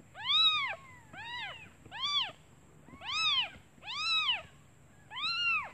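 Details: Hungry newborn kittens mewing for their mother, who is out looking for food; six strong rising-and-falling mews at about one-second intervals, bright and harmonic, over low background hiss.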